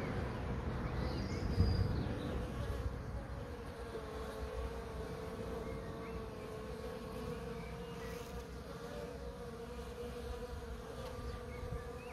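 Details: Constant, smooth buzzing of bees holding a clear mid-low tone throughout, with a short louder burst early on.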